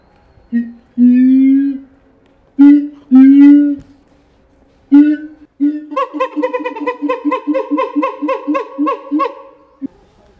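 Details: Siamang Keiji at Japan's Higashiyama Zoo, recorded 17 January 2023 while calling energetically. Several deep, throaty booms give way to a long run of quick, evenly pulsed harmonic barks lasting about four seconds.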